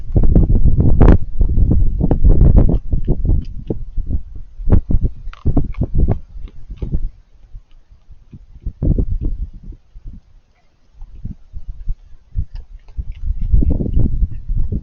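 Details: Raccoon eating, with crunchy chewing noises: dense bursts of low, irregular crunching and smacking, loudest in the first seconds, a quieter pause near ten seconds, then more chewing toward the end.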